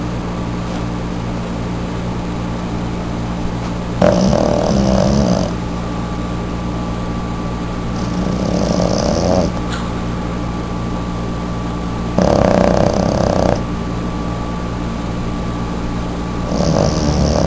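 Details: Jazzy, a female Boston terrier, sleeps in an unusual reclining pose with her eyes open, snoring heavily. Rough, breathy snores swell roughly every four seconds, four bursts in all, over a steady low electrical hum.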